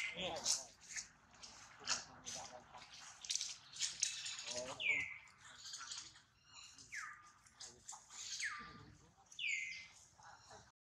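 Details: A hurt baby monkey named Duke cries after a failed catch by his mother Duchess. Scraping and rustling come first, then four sharp, high cries that drop steeply in pitch, spaced one to two seconds apart.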